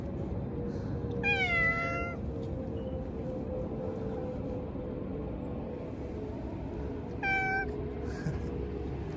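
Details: Stray cats at feeding time, two meows several seconds apart, the first longer and gently falling, the second short, over steady low background rumble.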